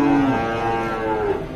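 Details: Cow lowing at a busy weekly cattle market in Dhaka, Bangladesh, September 2022; a short, throaty moo that sags slightly in pitch, followed by a second fainter bellow, over constant market chatter.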